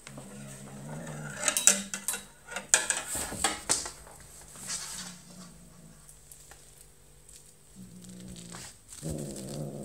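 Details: Five-month-old British Shorthair kitten named OkiOki growling while playing with a feather toy indoors; low, rough, humming growls open the recording, return briefly near eight seconds and again at the end, with sharp clattering and rustling play noises between.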